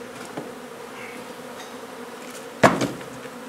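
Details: Honey bee colony being removed from an old home under renovation in Donna, Texas, for relocation; a steady low droning hum of many bees is broken near the end by one sharp knock, like a tool striking wood.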